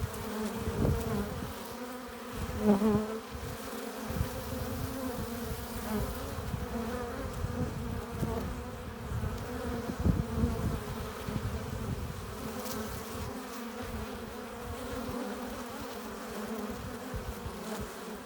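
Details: Steady droning of many honey bees at the hive entrance as they come in carrying pollen and nectar; a continuous low hum with occasional louder fly-by swells, notably early on.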